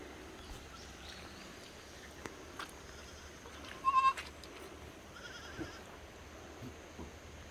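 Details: Korean black goats at Sunny's Black Goat Farm in Gimhae, South Korea; one short, nasal, harmonic bleat midway through an otherwise quiet stretch, with faint farmyard background noise and scattered soft clicks.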